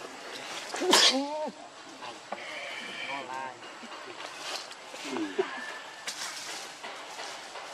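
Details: Baby monkey Lucie, very hungry and begging for milk, gives a sharp, sneeze-like burst, then arched, wavering whimpers, a higher tremulous cry in mid-clip and later curving moans, amid outdoor hiss.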